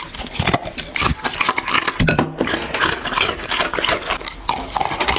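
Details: Pet dog chewing food, recorded up close for ASMR: steady wet crunches and lip-smacks in quick irregular bursts, a brief quieter gap near two seconds, then chewing resumes.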